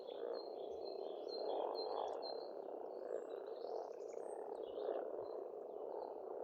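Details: Springtime frogs croaking together at an Estonian farm pond, a continuous churning low chorus rising and falling, while a bird repeats short high whistled phrases over the top.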